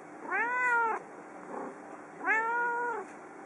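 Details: Yukke, a house cat that meows whenever left alone, calls from a desk in the living room: two long, clear, tonal meows about a second each, rising then gently falling, with a faint soft sound between them.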